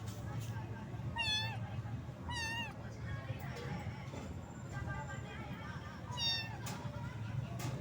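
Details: Rain-soaked little cat shivering from the cold meows repeatedly: two downward-bending meows about a second apart, then another a few seconds later, beneath heavy low-pitched background noise.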